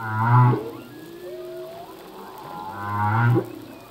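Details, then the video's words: Singing male humpback whale underwater: two strong low moans with rich harmonics and a sharp upsweep at their ends, separated by a quiet, thin rising whistle, against steady ocean hiss. "Whale song - full length humpback whale song"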